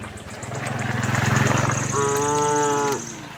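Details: Tame cattle herd on a farm looking for grass; a low pulsing rumble swells then gives way to a single short, steady, tonal moo ending abruptly.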